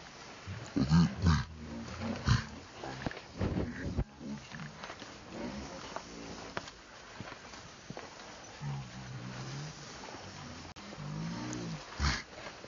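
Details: Monkeys in a harsh, noisy squabble, with a mother abusing her young male, who screeches loudly and runs to a big monkey that bites. Loud grating screams come in bursts, several overlapping harsh cries, then softer wavering wails near the end.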